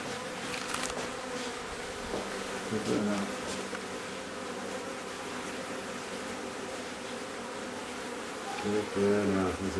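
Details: Honey bees in a hive inside a house in Aderet, being removed: a steady, low droning hum runs throughout, with a few knocks and handling noises and a brief voice near the end.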